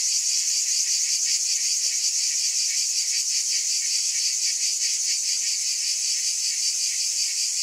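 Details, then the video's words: A steady wall of cicada buzzing, high and sizzling, holding one loudness throughout while soft rhythmic throbs ripple through the drone; nothing else is audible. "Mmm! Scintillating Cicadas"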